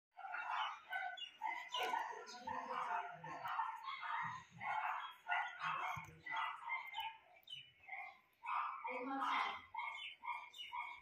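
A Shih Tzu gives a run of high, whining, yodel-like vocal bursts alongside a human voice.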